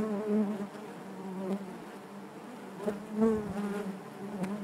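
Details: Honey bees in their hive making a constant layered drone, rich and low, with small rises in loudness and a few faint clicks.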